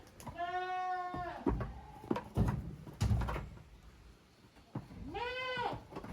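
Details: Goat kids, the young of Koharu and Okayu, playing in two teams in the exercise yard of a handmade goat farm in Japan on 13 June 2023: two long, wavering, harmonic-rich bleats at the start and end, with hoof thumps and knocks between them.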